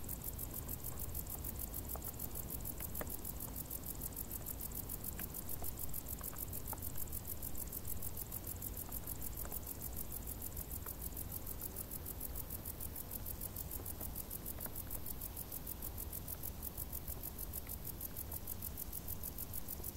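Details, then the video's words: Summer crickets hidden in tall grass keep up an unbroken, evenly pulsed high chirping, layered above heavy low-pitched background noise and occasional faint clicks. "Grilli | suoni dall'erba alta"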